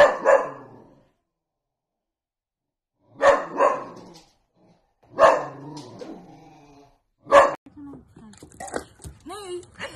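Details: Pet Dachshund giving single sharp barks spaced about two seconds apart, each trailing into a brief echo, with a person's voice starting to talk at the end.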